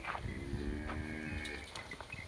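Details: Holstein Friesian cow, a medium-sized milking cow in her third lactation, at a village in Sinnar taluka, Nashik district, India; a low harmonic moo lasting over a second amid steady farmyard background and faint clatter.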